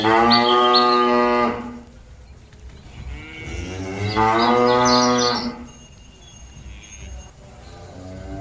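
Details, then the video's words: Cattle mooing as they call companions back to the pen: two long, harmonic-rich moos, each about one and a half seconds, separated by a quieter gap, with faint bird chirps in the background. "Suara sapi lembu memanggil kawan nya balik ke kandang"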